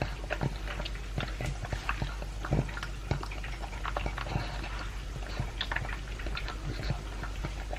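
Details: Two-year-old Pug Elvis chewing his dry food with a chunk of beef indoors. Crisp crunches and wet smacks come in quick bursts over a low steady hum.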